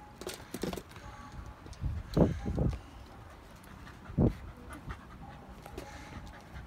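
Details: Shiba Inu panting while playing fetch, soft irregular breathy bursts with a couple of louder puffs around two and four seconds, light thumps and household noise in between.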